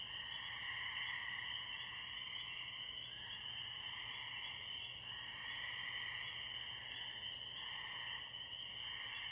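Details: Far-off spring peepers calling in a pond near a tree, joined by crickets: a bright continuous mass of high peeps, lower trilled notes swelling and dropping away in irregular waves about every two seconds.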